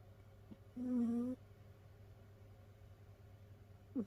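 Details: Whistling snore from a sleeping rescued cat in a multi-cat home: one half-second nasal whistle, level and clear, then quiet room hum with a faint breath at the end.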